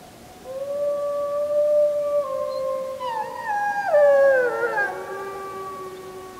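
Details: Wolves at full moon on 31 July 2015, JVC Everio GZ EX215 recording: one steady, long howl at first, then more voices join with sliding, falling and wavering notes before settling into sustained tones.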